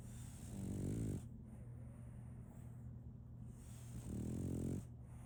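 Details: Sleeping French Bulldog puppy Solaimy snores in slow rhythm, each inhaled snore a grating, nasal rasp lasting under a second, two snores about three seconds apart over a constant low background hum.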